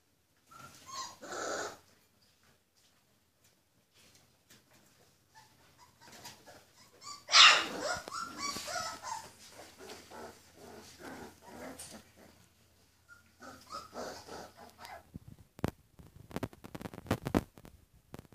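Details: Purebred Rhodesian Ridgeback puppies without pedigree, born 14 February 2016, give bursts of high, harmonic whimpers and short yelps. A loud squealing cry peaks midway, followed by scattered whines and sharp clicking handling noises near the end.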